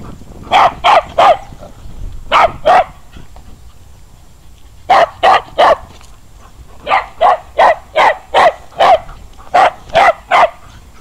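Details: Female adoptable dog at an animal rescue home, barking loudly in quick bursts of two to four sharp barks separated by short pauses, about eight bursts across the stretch, over a low steady background hum.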